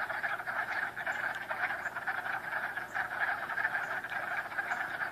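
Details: Frogs call en masse, producing a steady, buzzing wall of overlapping croaks with rhythmic pulses throughout the short recording.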